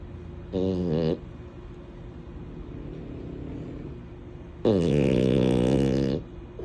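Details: Sleeping female French Bulldog named Mini snores twice, first a short half-second snort, then after a quiet pause a longer, louder, droning rasp of about a second and a half over soft background hiss.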